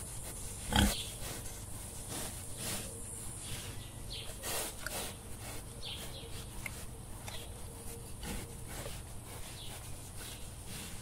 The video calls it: Animal planet. Wild Boar. Video and sound.